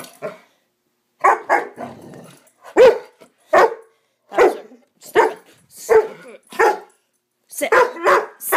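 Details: Bower, a Swiss Mountain Dog pup on a frenzied 'bad dog run', lets out sharp, raspy barks and growls about every half second to second, uneven in spacing, with faint human voices in the background.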